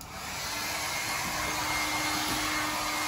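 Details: A loud, even hair-dryer roar fills the whole stretch, with no barking or other animal sound.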